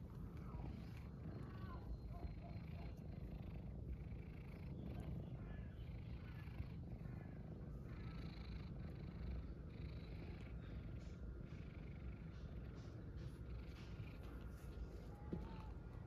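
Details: Homeless tabby cat, a stray on the streets of Istanbul, purring while asking for attention and food; a steady low continuous rumble fills the whole stretch, with faint background noise and a few soft words of Turkish speech.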